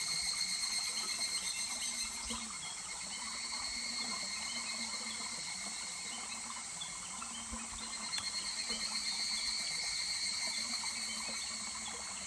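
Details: July evening chorus of a higurashi cicada by a stream at Kuragari Pass: sustained high trilling broken into regular pulsing bursts, louder near the start and again toward the end, with trickling water throughout.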